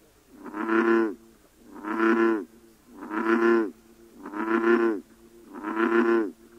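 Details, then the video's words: Five resonant, droning bellows from an American bullfrog in a UK breeding population, recorded October 2010. The bellows are evenly spaced about every 1.2 seconds, each swelling and then cutting off sharply. "American Bull-frog"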